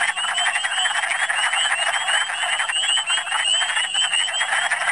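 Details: Michigan spring chorus of wood frogs, a species gathering in big numbers: a thick wall of overlapping low clucks and croaks with no pauses, topped by a band of repeated rising high chirps.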